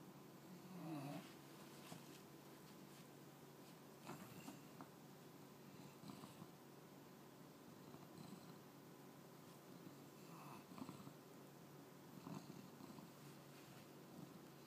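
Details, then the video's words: English Bulldog puppy asleep after trying to stay awake, snoring: soft, low, rasping breaths with a purr-like rumble and brief louder snorts, quiet overall with no other clear sounds. "English Bulldog Puppy Snoring"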